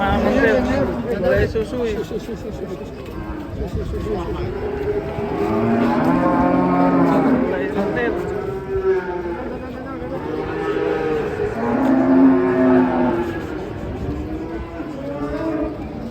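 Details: Cattle lowing in a series of deep, drawn-out moos, several overlapping calls rising and falling in pitch one after another for the whole stretch, with a steady murmur of background noise.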